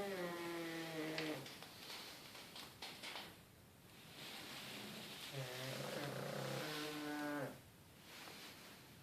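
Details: Several sleeping pug puppies snoring in unison, each breath a harmonic, rattling snore of about a second and a half, alternating with hissing airy exhales.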